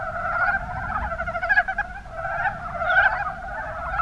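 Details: Mountain brown frogs calling together in Kumamoto's Kuma Basin, Japan: clusters of quick, chuckling croaks that rise into louder bursts roughly every second and a half, layered over a constant murmur of distant callers.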